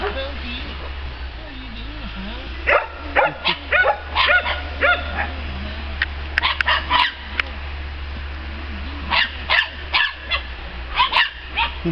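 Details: Male Norwegian Elkhound puppy, playful and curious, giving bursts of short sharp yipping barks in quick clusters, with a man's voice calling and talking to him between them.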